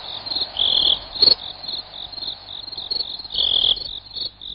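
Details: {'caption': 'High, shrill cricket trill of fast pulses running almost without pause, rising to louder bursts about once a second, over a faint low background hum.'}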